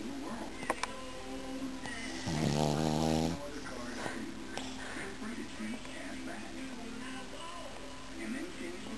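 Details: A tired Boston Terrier, snoring and dreaming in his sleep, gives a low, rasping snore, with faint voices and music behind.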